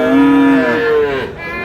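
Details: Friesian or crossbred bull calf at a cattle market in Aftabganj, Dinajpur, on 7/6/26, where animals are being bought and sold. It gives one short, steady, tonal moo that falls away at the end, with faint market background.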